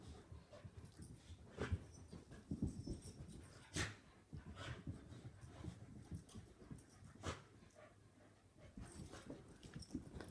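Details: Play fight between two Soft-coated Wheaten Terriers, a grown dog and a puppy: low growls come in irregular bursts, with brief sharp snaps and yips standing out among rustling and panting.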